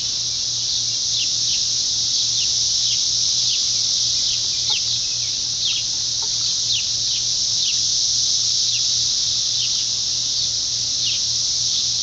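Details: Hundreds of 17-year periodical cicadas singing in trees during a mass emergence, one live cicada close at hand; loud continuous high buzzing chorus with rhythmic pulsing swells about four per second over a low steady hum.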